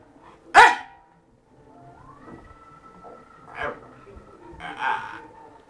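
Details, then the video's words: Male fox terrier talking to its owner because it wants to play, especially when ignored; one sharp bark, then a long rising whine-like tone, followed by two shorter grumbling vocal bursts indoors. "when fox terrier wants to play"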